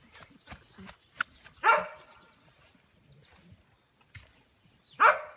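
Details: American Bully puppies at an early age, two bright yapping barks spaced over three seconds apart amid faint shuffling and background noise.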